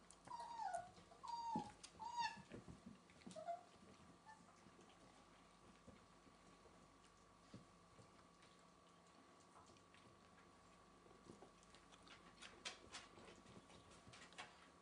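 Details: Welsh Springer Spaniel puppies, 4.5 weeks old, playing around indoors; a few short, thin, high whines in the opening seconds, then a mostly quiet room with faint clicks and rustling.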